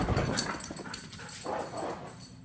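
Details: A Siberian Husky exercising inside the house gives short, high whining yips in quick bursts, with indoor scuffling noises, showing why she should be walked.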